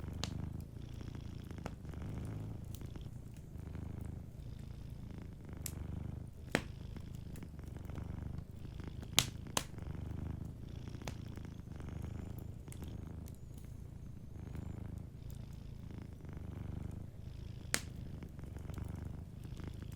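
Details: Gentle, continuous low purr from a cat asleep near a cozy fire, the rumble holding even for the whole stretch while scattered wood crackles snap over it now and then.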